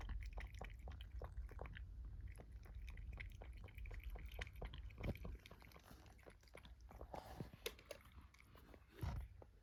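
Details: Indoor mealtime for young kittens, a brown tabby and a black-and-white born 2022 and adopted in Japan: crisp rhythmic crunching bites, several per second, slowing and thinning toward the end, with a couple of louder knocks.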